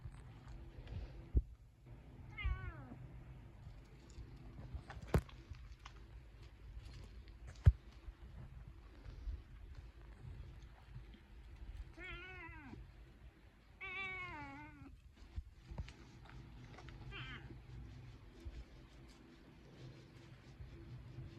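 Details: Two-coloured cat near a lizard, giving short wavering meows at about 2.5 seconds, then a cluster of three drawn-out, quavering meows between 12 and 17 seconds, over low rustling and scattered taps.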